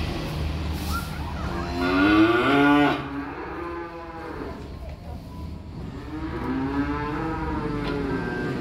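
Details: Young calves arriving by truck give two drawn-out moos, the first loud and wavering for about a second and a half, the second softer and rising then falling near the end, over a steady low background rumble.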